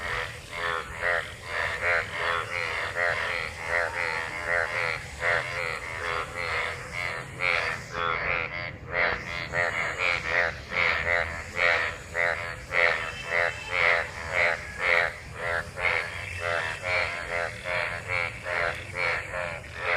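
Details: Many frogs gathered in rainwater after monsoon rain, mating: a dense chorus of rasping, pulsed croaks overlapping continuously, several callers answering one another with no pause across the whole stretch.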